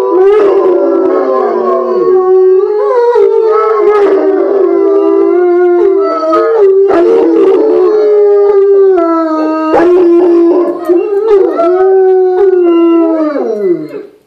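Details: Four bloodhounds howl together, as they often do for no reason, in long, wavering, mournful tones that rise, hold and slide down.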